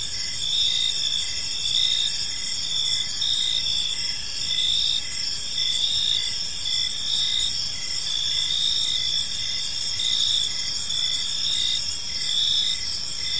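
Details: Gentle chirping of crickets in a quiet park in the evening, a dense high-pitched pulsing trill with overlapping callers and a steady drone, no voices or traffic clearly heard.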